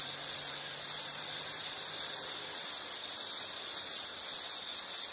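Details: Steady, piercing insect trill, very high and even in pitch, with a faint quick pulsing. It sags briefly in loudness twice midway, over quiet background hiss.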